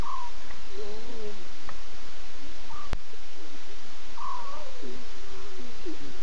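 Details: Nkuhuma lions at night, 02:50 a.m., six talkative cubs with three adult females contact calling; a few brief whining, wavering calls stand out above constant background hiss.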